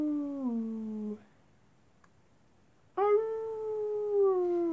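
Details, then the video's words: Night-time wolf howling: a falling tone that drops and cuts off, a pause of near silence, then a new clear sustained howl slowly sinking in pitch. "wolves at night time"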